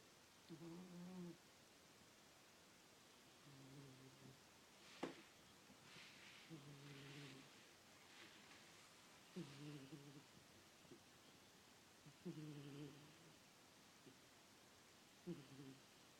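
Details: Miss the cat snores in her sleep, deep droning rasps repeating about every three seconds, with a sharp click and a brief soft rustle partway through.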